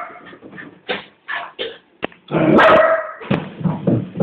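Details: Excited Yorkshire Terrier and Jack Russell Terrier cross during a mad spell: choppy yaps and barks, then a drawn-out harsh snarling bark, then further short rough barks.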